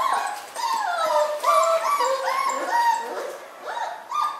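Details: Newborn miniature schnauzer puppies born on New Year's Day, several crying at once: overlapping thin, tonal whines that slide up and down, many short mewing squeals with a few longer wavering cries, continuous throughout.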